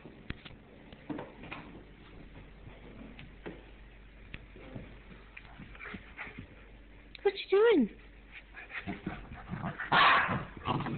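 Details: Two goldendoodle puppies, littermate brothers, wrestling and playing on a floor indoors: mostly soft scuffling and thumps, then one short high whine sliding downward near the end, followed by a burst of noisy scrabbling.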